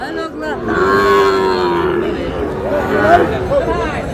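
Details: A long, steady moo from Sahiwal bull calves at a market where a Dhaka farmer buys cattle on 16 July, with men talking loudly around it.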